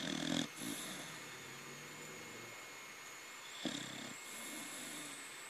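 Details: Young corgi snoring while asleep, two rough snorts about three seconds apart, with faint softer breaths between them, steady low hum in the background.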